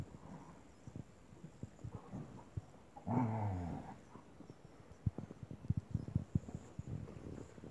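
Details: Puppy playing with a stray dog: one rough, harmonic growl of nearly a second sits mid-recording, surrounded by scuffling, thumps and soft movement noises of the play.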